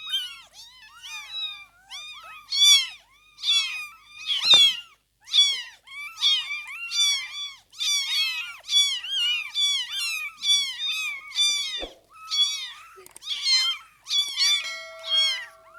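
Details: Newborn kittens, filmed across the first fifteen days after birth as they open their eyes and learn to walk: many overlapping high, thin arched mews, rapid and irregular, several callers at once with brief pauses.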